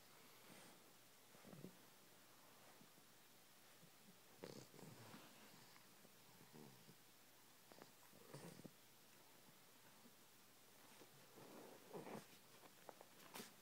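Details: A 12-week-old English Bulldog puppy, groggy after a long day, snores softly with rough, wheezy breaths repeating every three to four seconds.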